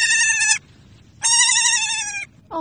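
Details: Baby goats playing and jumping around; two loud, bright, strongly harmonic bleats, each about half a second to a second long, flat and slightly wavering, separated by a short pause, with a woman cooing softly in between.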